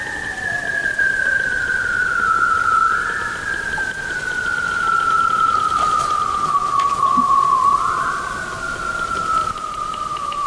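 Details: Bearded seal under Arctic sea ice, heard through underwater recording: a sustained whistled glide descending steadily, twice briefly lifting upward before continuing its long fall, with little else around it.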